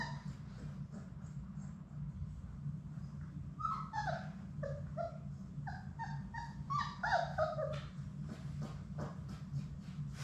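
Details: Labrador Retriever puppies, a litter of six from the mother Sadie, playing in their play room on a live puppy cam; a rapid run of high, sliding whimpers and short yips, some rising then falling, over a steady low electrical hum.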